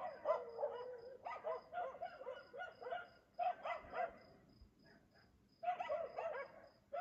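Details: Nighttime barking at 3 AM in Aliseda (Los Galaperos), a dog that barks every night as its owners sleep; quick clustered barks, a short lull, then a fresh run, with a regular high-pitched insect chirp throughout.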